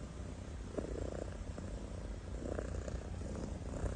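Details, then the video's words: Snoring kitten in sleep, a steady low rumble punctuated by faint nasal rasps near the start and again toward the end. "The kitten is snoring"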